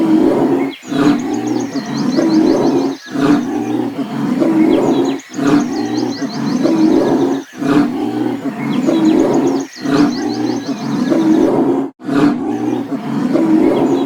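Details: Loud lion roars, rough and breathy, pulsing in regular bursts about every two seconds, with bright bird chirps repeating high above the roars.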